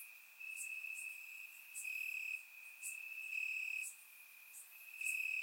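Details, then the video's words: Crickets chirping in grass on a warm summer night in Bulgaria, surround-microphone recording: a steady high trill with louder pulsed bursts recurring about every second, plus faint higher ticking chirps above. "Cricket Sounds - Crickets Chirping at Night"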